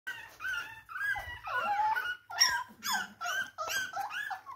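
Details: Chihuahua puppy whimpering as it tries to get back into bed indoors: high, squeaky, wavering whines in quick succession with short breaks, some rising and falling in pitch.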